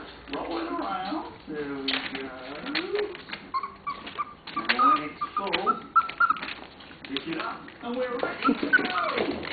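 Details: Puppies from Lola's litter, 27 days old, playing and interacting with each other indoors; thin high whines and squeaks come in short bursts over a background of television speech and music.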